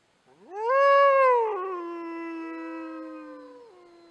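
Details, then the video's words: A wild wolf roaming free on the open steppe gives a single long howl. It swoops up, peaks and sags a little, then holds a steady, slightly falling tone with a brief step near the end. The background is silent. "Қасқырдың дауысы | 1-бөлім | Вой волка"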